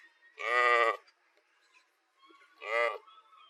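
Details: Sheep heard in a compilation of sheep sounds, giving two short nasal bleats about two seconds apart, each under a second long, against a quiet background.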